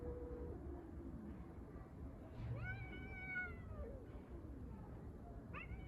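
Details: Street cats fighting over a litter box: a drawn-out low yowl, then a harmonic wavering wail rising and falling in pitch, and a short sharp upward cry near the end, over steady low background rumble.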